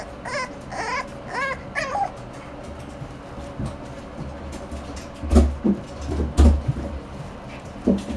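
A French Bulldog puppy gives a few high, wavering whimpers, followed by soft thumps and rustling.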